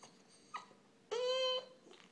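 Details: Young Boston Terrier, eight months old, whining when ignored: a short faint yelp, then one loud, steady, high-pitched whine held for about half a second, followed by soft sniffing sounds in a small room.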